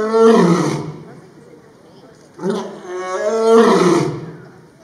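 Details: Lion roaring in its enclosure at Brookfield Zoo, Illinois, on October 16, 2022: a loud, rasping roar, a short gap, then a shorter bark-like onset leading into a second long, throaty roar.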